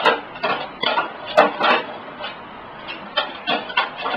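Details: Sixteen-year-old pug hunting for a hot dog: a run of short, breathy snorts and snuffles in quick bursts, a pause of about a second in the middle, then more rapid sniffing puffs.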